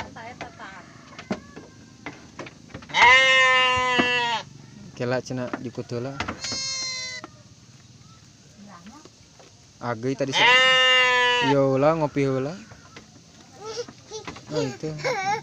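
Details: Ewe of the Garut breed giving birth to three lambs: long, loud, tremulous bleats at the start and after ten seconds, with shorter broken calls and soft handling noises in between.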